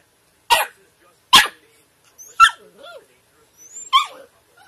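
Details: Short, sharp puppy yaps spaced unevenly, about one every second, with faint squeaky whines and high chirping sounds between them.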